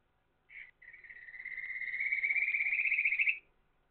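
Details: At night, a Kajika frog gives a short opening note, then a bird-like trill that swells louder and rises slightly.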